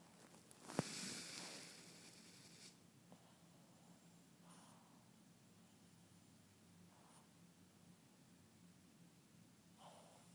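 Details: Boston terrier puppy, eight months old, napping indoors; soft, muffled snoring breaths recur roughly every two and a half seconds, faint and low, after a sharp knock and brief rustling near the start in a quiet small room.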